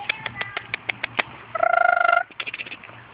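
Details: Purebred puppies, four and a half weeks old, on their first outing outdoors with their mother Fergie and half sister Miley; a run of short clicky yelps, then a sustained harmonic whine rising and holding for about half a second, then more short yelps.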